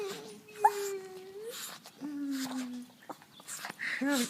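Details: Female puppy greeting her owner with excited whining, a habit she shows every time. Long, steady, thin whines held at one pitch, one higher and one lower, then a short quavering cry, fairly quiet indoors.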